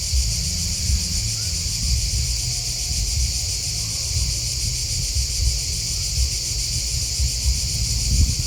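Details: Continuous cricket chirping, a dense unbroken high trill in stacked bands, steady throughout, with a low rumble of background noise beneath.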